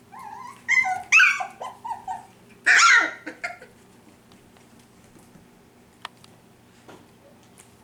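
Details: F1b Cavapoo puppies, five weeks old, from Honey's litter at a commercial kennel in Carthage, Missouri, give a run of short whining yips that rise and fall, then one sharp, strained squeal before near silence with faint clicks.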